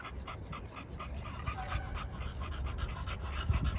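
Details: Male pocket American Bully dogs kept at a kennel in Romania pant hard and fast, with short breathy puffs repeating almost four times a second over low rumbling noise.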